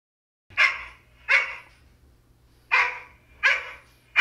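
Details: Male Goldendoodle barking, hearing his own bark for the first time: four loud, sharp barks in pairs, a pause between the pairs, and a fifth starting at the end. Low steady hum underneath.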